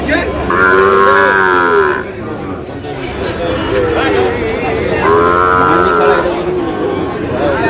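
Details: Small bull calves at a cattle market bought by a Narsingdi farmer: two drawn-out moos about four seconds apart over a steady din of market crowd noise.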